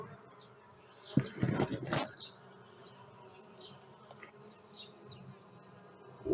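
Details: Honey bee colony nesting in a roller-shutter box, heard during an evening hive rescue in Lliçà de Munt as the hive is opened: a low, steady droning hum, broken by loud handling noise for about a second, with faint chirps above.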